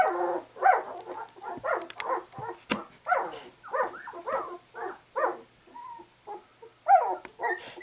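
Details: White English Cream Golden Retriever puppies, two weeks old and just opening their eyes, give soft separate whimpers and squeaks at an uneven pace, with quiet gaps and faint clicks between calls.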